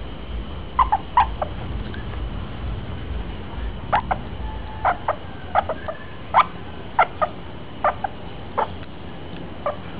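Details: Bebert, a hand-raised pet squirrel in Chiang Mai, Thailand, fell from a tree at one month old and is now four months old. Short sharp chirping clicks come in loose irregular clusters over a quiet room hum.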